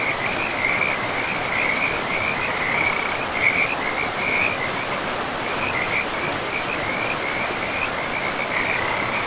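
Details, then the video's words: Frogs by a river in a pristine forest, a steady run of rattling croaks near one pitch, repeated without a break over constant rushing water. "River and Frogs sleep sounds"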